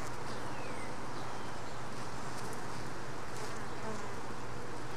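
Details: Worker honey bees at a hive during a mite check, one bee carrying a mite. Continuous low droning hum with a steady tonal band underneath, broad hissy noise, and brief scratchy ticks near the middle and end.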